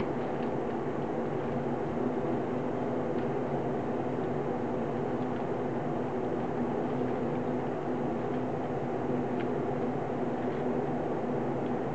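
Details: Steady broadband hiss and hum throughout with faint clicks; no animal voice.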